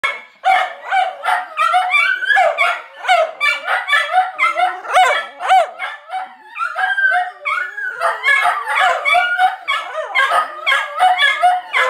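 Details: Several Italian greyhounds at home during laundry give their usual nonstop stream of high, yelping barks and whining yips.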